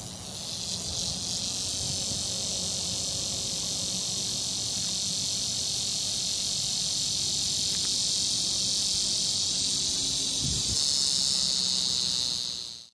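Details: Cicadas in Florida drone in a continuous, high, buzzy chorus, a male mating call to attract females, late in the summer singing season.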